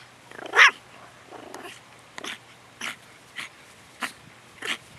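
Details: Pet long-haired toy Chihuahua named Eve on guard duty indoors, giving a loud yap followed by a soft growl and a string of short, clipped barks spaced roughly half a second apart.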